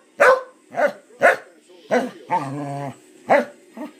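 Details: A corgi gives short, sharp barks and a drawn-out, wavering whine that rises like a question, a sound its owner hears as asking "how?"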